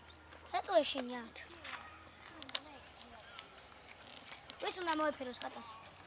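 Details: Meowing from a dumpster cat colony that feeds at the bin: a falling, whiny meow near the start and another wavering one later, separated by quiet rustling and a sharp click.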